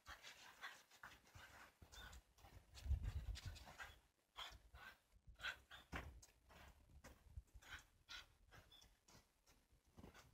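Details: Shiba Inu dogs living in a backyard, excited before a winter walk on 18 January 2023, while leads are put on; rapid breathy panting in quick irregular bursts, with rustling and handling noises.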